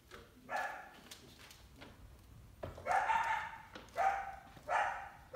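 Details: Summer coyote with a big pup, hunting an indoor cat: a short bark, a pause, then three loud hoarse barks about one second apart with a tonal edge.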